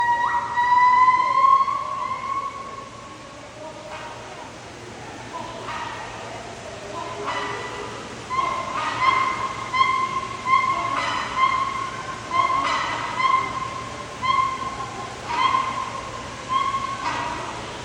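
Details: Gibbons calling at sunrise: a long, clear, rising whistled hoot that swells and fades over the first few seconds, then a run of bright whooping notes with strong overtones, pulsing every second or two and growing more insistent toward the end.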